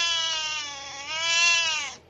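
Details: Havana Brown cat giving one long, drawn-out wailing meow lasting about two seconds. It is steady and richly harmonic, dips slightly in the middle, then swells louder before cutting off.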